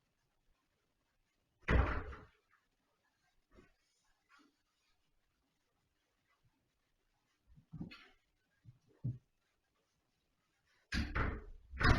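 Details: Indoor room with a few loud door slams and thumps separated by quiet stretches, plus faint knocks and brief murmured speech.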